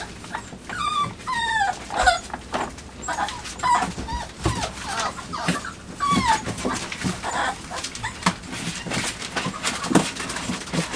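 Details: Young puppies, five weeks and two days old, play-fighting around a box placed in their night pen on 23 September 2015, give a run of bending, wavering whimpers and squeals, with scuffling and rustling between them.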